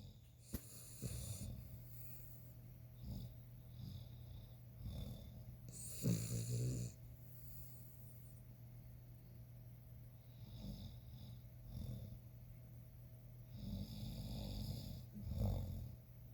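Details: A male ruby Cavalier King Charles Spaniel snores in deep sleep with his eyes open, with rough, rasping breaths rising in irregular bursts.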